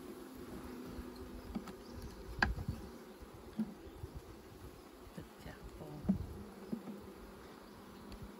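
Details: Buzzing bees at a honey harvest produce a low drone that wavers in and out, mixed with irregular thumps and clicks from work on the hive.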